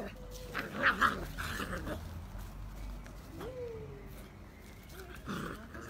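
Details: Two Beagle puppies at play give short high yelps, thin sliding whines and low grumbling growls.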